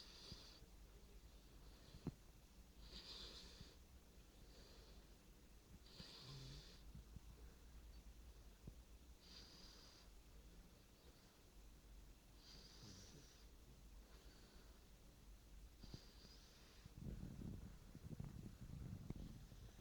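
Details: A sleeping English Springer Spaniel puppy, a male, snores quietly: airy, hissing breaths recur about every three seconds, then a louder, lower snorting rasp near the end in a quiet room.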